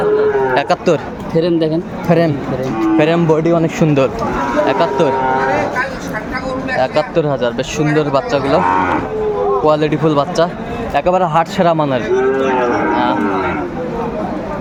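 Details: At a Bangladeshi cattle market in Comilla, 13 August 2024, Sahiwal bull calves give several repeated wavering moos through the fourteen seconds, mixed with constant crowd noise and voices close by.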